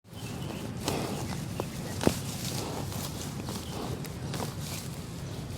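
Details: In Vientiane, Laos, a water buffalo grazes, tearing and crunching grass with scattered sharp snaps over a low, steady rumble.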